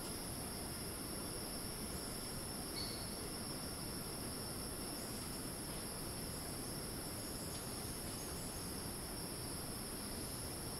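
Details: Cicadas in Thai rainforest at Ton Pariwat wildlife sanctuary, north of Phang-Nga, sustain a shrill continuous whine; a short higher squeak appears briefly near three seconds, all over an even background rush.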